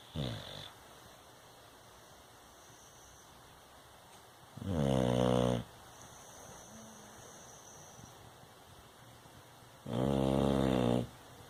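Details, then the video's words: Sleeping Bulldog snoring: loud, rasping, deep snores lasting about a second each, spaced roughly five seconds apart with quiet breathing between, in a quiet indoor setting. "Bulldog Roncando"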